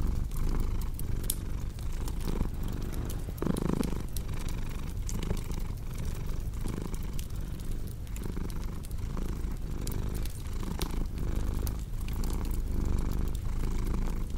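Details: A cat purring steadily, a low continuous rumble that swells and eases in slow breathing cycles, layered over sharp pops and snaps from a crackling fireplace.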